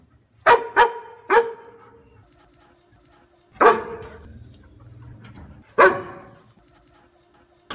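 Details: Dog giving three quick barks in the first second and a half, then a pause with a faint low rumble, followed by two more isolated barks spaced about two seconds apart, each sharp and loud with a short ringing tail.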